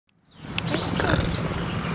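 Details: A young cheetah at the Lion Park near Johannesburg purrs with a steady, low, throbbing rumble while licking a person's arm, louder towards the end, in September 2013.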